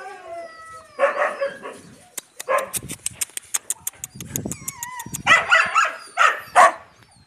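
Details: Yakutian Laika puppies and mother Rumba give bursts of high yipping barks, then a run of rapid clicking taps, then a final flurry of excited yips, while thin whistling birdsong carries in the background.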